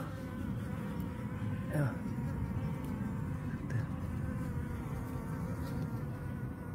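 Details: Native Korean honey bees humming inside an opened hive during an inspection that found queen cells ahead of early swarming; a dense, steady low drone with no gaps, plus a brief tonal sweep near two seconds.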